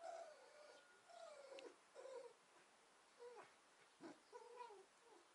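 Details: Captive foxes rescued from a fur farm, playing together after a hot summer day: a quiet series of soft, wavering whimpers, about five short whines in five seconds, some falling in pitch, over a faint steady hum.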